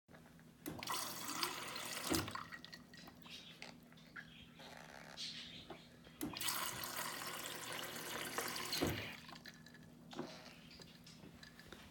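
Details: Running tap water and splashing in a small room over a low steady hum, with no animal voice. A few brief clicks and drips break the flow.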